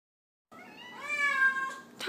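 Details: Feral cat let into a house, hanging from window blinds, gives a drawn-out harmonic meow that rises and holds steady, then a sharp clatter at the end, indoors.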